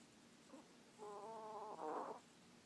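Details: Lily, a sleeping puppy, snores: a faint breath near half a second, then a nasal, whistled tone held for about a second, ending in a louder breathy rasp before quiet returns.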